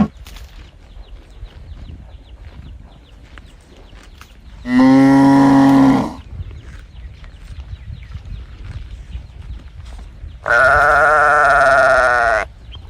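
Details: A calf calls for its mother with two long, loud moos, the first lower and steady, the second higher and strained, roughly five seconds apart, over a soft background of faint chirping birds.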